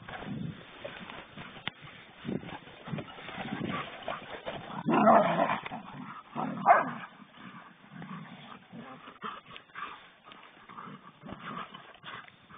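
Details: Playing poodles trade short yips, whines and growly grumbles, louder bursts around the middle, scratchy movement throughout, with voices of people in the same room.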